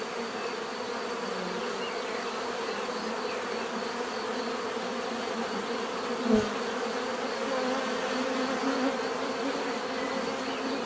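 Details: Bees producing a natural, steady swarm-like buzz, a dense continuous drone with bands in the low-middle range and no pauses; one brief soft knock breaks through about six seconds in.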